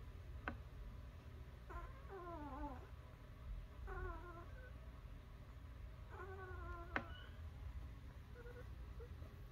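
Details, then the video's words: Newborn puppies indoors: several thin, high whimpering squeals, each sliding downward in pitch, come in short bursts about every two seconds over a steady low hum, with a few sharp clicks. "Newborn puppies"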